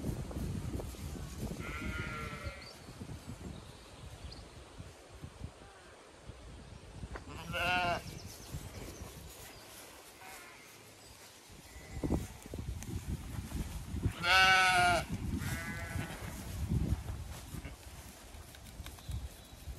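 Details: Zwartbles ewes and lambs grazing and resting in pasture on a hot May day at a County Kilkenny farm in Ireland. Scattered wavering bleats from several sheep, the loudest in the middle, with wind buffeting throughout.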